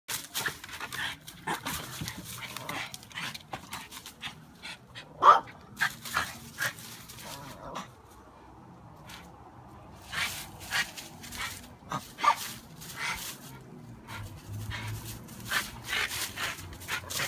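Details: Shadow the dog chasing bees in the yard, letting out scattered sharp barks at irregular intervals with quiet stretches between, amid faint outdoor background noise.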